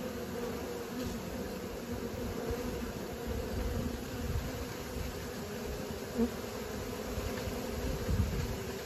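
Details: Honey bees on learning flights make a dense, low buzzing drone with a rumbling undertone, constant throughout, broken only by small taps near six and eight seconds.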